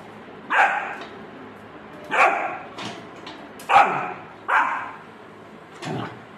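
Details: A Rottweiler puppy barks at a bucket, giving short, sharp barks at irregular intervals of about a second or two, until it tires.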